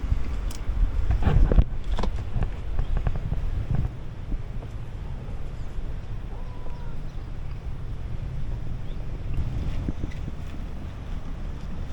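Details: Low rumbling wind and water noise with thuds and clatter; no animal voices stand out.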